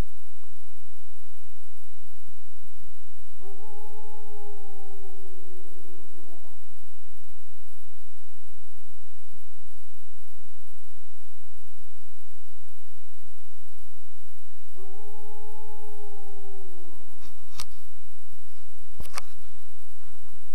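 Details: Lone wild wolf howling in the Boundary Waters Canoe Area Wilderness while people fish nearby: two long, steady, mournful held tones about eleven seconds apart, each lasting roughly three seconds and sliding slightly downward at the end, over constant low rumbling background noise.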